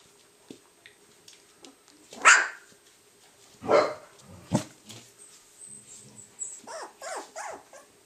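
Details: Young Cardigan Welsh Corgi puppies, three weeks old, make sharp, harsh yelps followed by squeaky, bending whines. The calls are irregular, several close together, with faint shuffling sounds around them.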